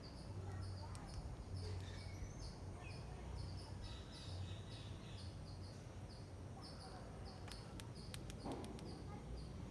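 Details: A hungry squirrel eating rice gives a steady series of thin, high chirps over a low background rumble.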